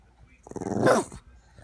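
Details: A female Boston Terrier gives a brief, throaty growl at her owner that swells and fades in under a second.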